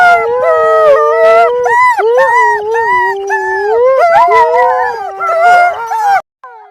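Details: Several wolves howl together in an overlapping chorus, their voices wavering, rising and dipping around one another with short yelping breaks, then stopping abruptly near the end.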